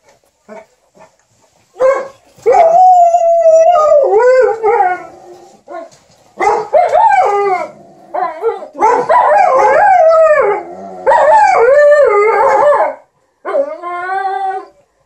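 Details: Two dogs, Liza the Alaskan Malamute and TJ the Golden Retriever, entertain their ironing owner with chatty vocalising: a few quiet yips, then bursts of bending, yodel-like howls in several long bouts separated by brief silences.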